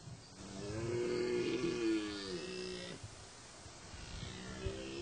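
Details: Rutting stag, one of the dominant males: a drawn-out harmonic roar rising and falling for about two seconds over steady rushing background noise, followed by faint lower grunts and a few knocks.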